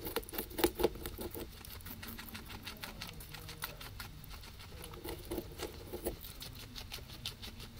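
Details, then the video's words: Pair of guinea pigs eating grass, recorded binaurally from third-order ambisonics with a ZYLIA ZM-1 array; quick, rhythmic crunching clicks with a few sharp louder bites near the start, over a low background hum. "Guinea pigs eating"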